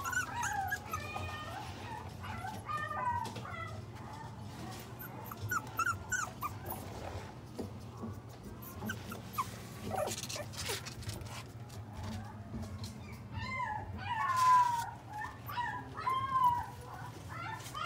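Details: Whining Pomeranian-Shiba cross at a pet shop in Mark Is Shizuoka: repeated high, wavering whimpers and brief yelps in clusters, louder near the end, over soft music and a steady low drone.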